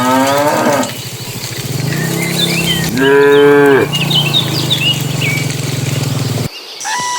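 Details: Herd of dozens of cattle driven by a herder into the pen at the start of evening; a short moo opens, then a loud, rich, steady low moo mid-way, over a constant rumble and twittering birds.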